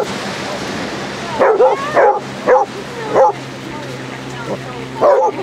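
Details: Basset Hounds, part of a pack of 30 out walking on sunny Exmouth beach in Devon, give a burst of short, sharp barks. They start after about a second and a half and come roughly every half to one second, over a steady low hum.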